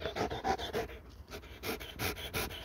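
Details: Panting dog after laser-pointer play, quick breathy huffs in an even pulse, strongest at the start and end of the short stretch.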